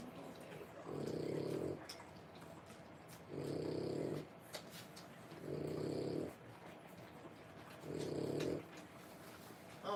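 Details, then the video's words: French Bulldog puppies three weeks old lying together while whelping; low snuffling, snore-like bursts roughly every two and a half seconds, with faint background noise. "French bulldog puppies. 3 weeks old"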